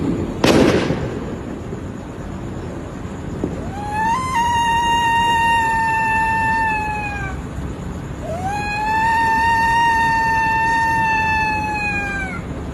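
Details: Civet (musang) scream: after a sharp bang, two long, piercing tonal wails of about three to four seconds each, held high with a slowly falling pitch, separated by a short pause, over a background hiss.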